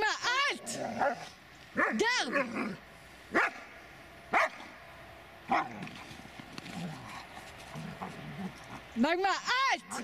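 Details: Dobermann named Magmar Von Der Burgstätte barking in loud, sharp bursts, some doubled in quick succession, at the start, near two seconds and again near nine seconds, with human voices talking in between.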